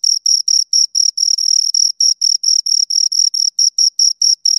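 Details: Two crickets chirp in a quick, high, buzzy rhythm, pulses a little longer and occasionally run together, about three to four per second, heard alone in silence.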